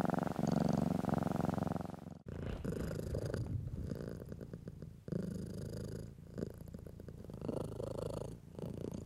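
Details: House cat purring as it is stroked: a louder, tonal rumbling start for two seconds, then a softer continuous low purr with faint rustling of hand on fur.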